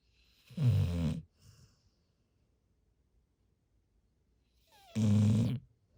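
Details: Sleeping retriever Haru, a large dog lying on a pillow, gives two loud, rough, rattling snores about four seconds apart, each lasting under a second, with a small breath after the first.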